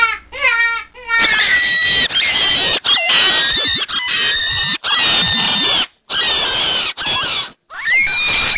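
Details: Rabbit screaming: harsh, shrill, high-pitched cries in long bursts, several separated by brief silences, some rising and falling, with abrupt cuts between segments.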